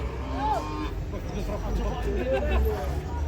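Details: Cattle being unloaded from a truck give a short rising-then-falling moo early on, with a couple of fainter calls later, over a low engine rumble and people talking and shouting nearby.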